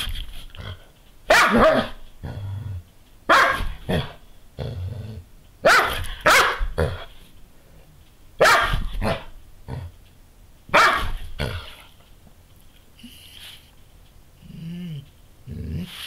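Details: Doberman Pinscher female spinning in circles after her own tail just after sunrise, a daily habit; loud rough barks in short clusters every two seconds or so, then a quieter stretch near the end.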